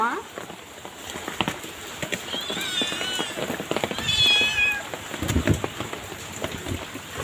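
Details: Kittens, a pair being given food, mewing in short, high-pitched, wavering cries, two bursts a second or so apart, while a woman speaks gently nearby over steady rain-like patter.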